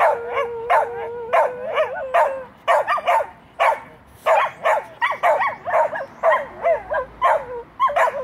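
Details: Pet dog reacting to a passing fire truck siren with a long whine followed by a string of high, wavering yips and barks at an uneven pace.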